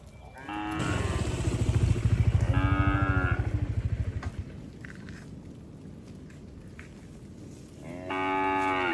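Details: Cattle moving as a herd along a road. Harmonic moos open and close the clip, while a motorcycle engine throbs loudly in between.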